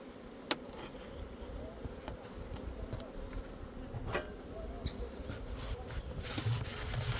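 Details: Honey bees at a hive started from a captured swarm, which produced a heavy box of honey after a couple of weeks; a steady low droning hum with scattered sharp clicks and taps.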